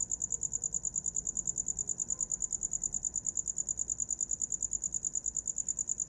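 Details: A cricket keeps up a piercing high chirp, pulses spaced evenly a little over twice a second, steady throughout, against quiet low background noise; recorded as a sleep sound.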